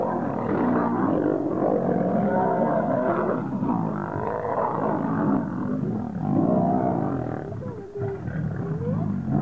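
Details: Wild lions, two males battling for the position of king, producing continuous deep raspy snarls and throaty growls, with rising and falling moaning tones near the end.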